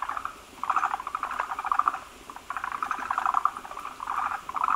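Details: Chorus of forest green tree frogs at their breeding site, several males massed around a big egg-carrying female producing a frothy egg mass; dense rattling, rapidly pulsed calls overlap almost continuously, pausing briefly between waves.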